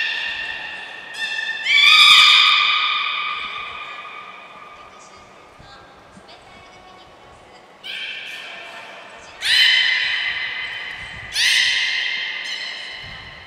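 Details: Belugas Hodoi, Gray, Nana and Niko in training at Port of Nagoya Public Aquarium, 5 June 2021. Four strong, buzzy harmonic calls, each swelling and then trailing off over a second or more, with quieter gaps in a large indoor space.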